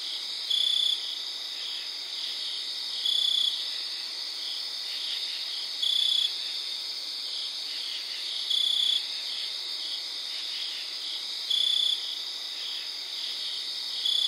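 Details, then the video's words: Night chorus near 3am in early September, a close cricket repeating short pulsed chirp bursts about every two and a half to three seconds, six bursts in all, set against a continuous high shimmering wall of distant crickets and katydids. "Cricket sings with distant crickets katydids cricket sounds"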